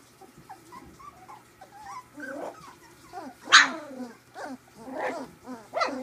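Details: Three-week-old puppies at play, making a run of squeaky whimpers and thin yips, then sharper high yelps and little growly grumbles toward the end.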